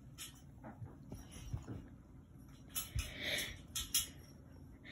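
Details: Black Maine Coon cat called Yoda, known for talking, gives a brief high whining vocal with a slight rise and fall, set among sharp clicks, rustling and low handling noise.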